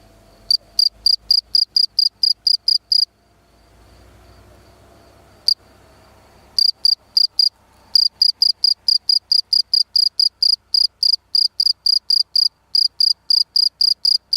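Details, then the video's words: Field cricket chirping loudly in a rapid series of short, high, shrill pulses, bursts grouped in runs with a few brief pauses; faint low background rumble in between. "пение сверчка"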